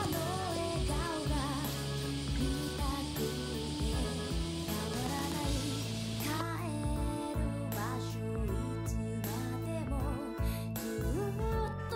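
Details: A pop-style song with singing and steady instrumental backing fills the whole stretch.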